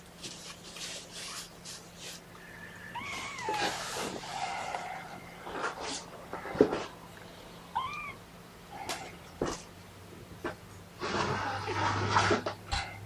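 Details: Kittens of Mama Seraphina's litter of four meowing in protest at being pottied before their weigh-in: a few short rising mews amid handling rustles, clatter and background noise indoors.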